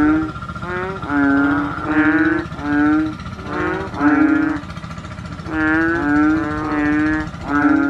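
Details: Asian painted bullfrogs, described as noisy chubby frogs, giving deep nasal honks. Each honk lasts about half a second, and they follow one another in quick, overlapping succession through the whole stretch.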